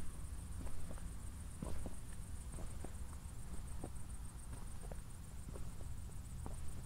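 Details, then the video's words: Nighttime crickets after a recent thunderstorm in Zwettl, Austria: a continuous high-pitched pulsing trill sits faintly above crunching footsteps and a low background hum during a walk. "ASMR Cricket Sounds"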